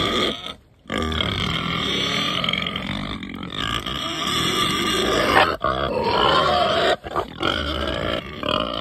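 Pigs grunt and squeal in a dense, continuous stream of harsh, rasping calls.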